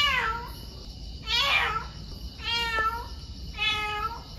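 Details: Tuxedo stray cat, recently neutered and released, yowling at night outside a bedroom balcony window, fed for over two years; four drawn-out harmonic wails, each about half a second to a second, repeated roughly every second, with faint background hiss.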